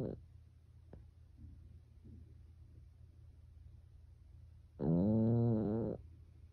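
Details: Pekingese named Byeol-i, a pet dog asleep indoors at home, snoring like a person: mostly quiet breathing, then a single loud, droning, buzzy snore lasting just over a second near the end.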